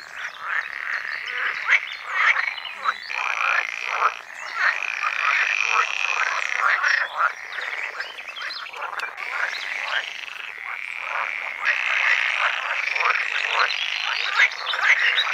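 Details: Dense chorus of calling male pool frogs in a pond on a sunny day, late spring mating season in the Netherlands, luring females; overlapping rapid rattling croaks forming a continuous loud din.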